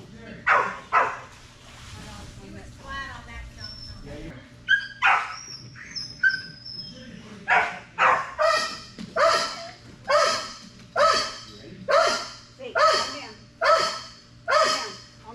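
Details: Strider, a Belgian Malinois, during Fetch-It air retrieve dock diving practice: a run of sharp, excited barks about once a second, broadband and punchy, after a stretch with a handler's voice and brief chirpy sounds.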